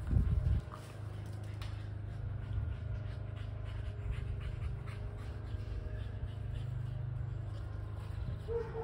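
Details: Two dogs, a Kelpie cross and a Border Collie, chasing a tennis ball. Rapid, breathy panting repeats steadily throughout, set against a constant low rumble.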